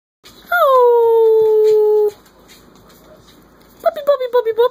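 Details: Three-week-old Corgi pups from a litter howling in chorus: a long smooth falling howl held about a second and a half, then a pause and a wavering, yippy howl rising and dipping at the end.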